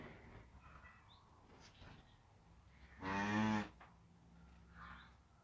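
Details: Cattle beside a freshly born calf rising to its feet: one short moo under a second long stands out against steady background noise.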